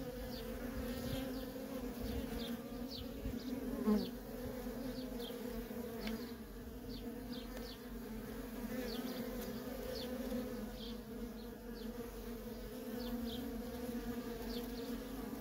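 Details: Steady, resonant hum of worker honey bees flying nonstop around their feral colony, one close buzz swelling near four seconds, with faint high repeated chirps scattered over the drone.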